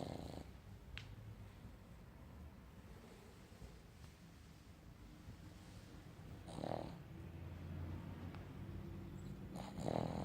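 A Boston Terrier snores with low, rumbling breaths and occasional soft snorts.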